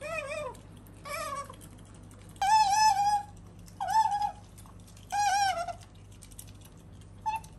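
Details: Pet otter Sakura, a female, gives a series of clear tonal calls indoors, some dipping and some steady and wavering, each under a second long with pauses between, plus a brief final chirp.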